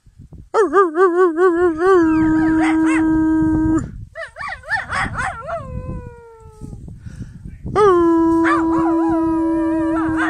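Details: Red, a Jack Russell terrier, howls at dusk in the glow of sunset, long quavering tones that waver then settle into a steady held note; recorded at a woodland home.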